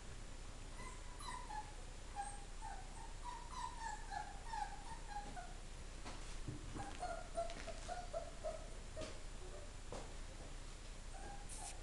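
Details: Greyhound pups at four weeks old, Collision x Daddy Car litter, recently orphaned when their mother died but eating. Thin, high whimpers in a quick wavering series, a long run in the first five seconds and another near eight seconds, with soft clicks and shuffling between.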